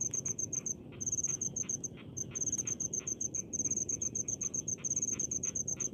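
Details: Rice-field cricket chirping in short bursts of rapid high pulses, separated by brief gaps, over a faint low murmur of ambient noise.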